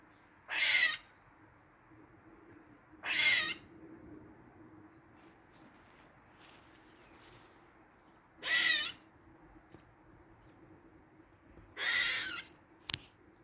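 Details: Squirrel in a Dublin garden, forenoon of 16 August 2023, giving four scattered harsh, breathy rasping bursts at irregular intervals, with quiet steady background hum and a brief click near the end.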